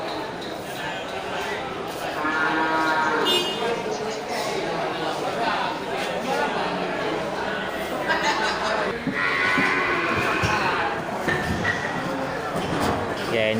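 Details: Water buffalo at a buffalo market in Geulumpang Payong, Bireuen, Aceh, 10 October 2020. Two long, tonal moos come early and again near the end, while a man talks and crowd murmur and clatter continue throughout.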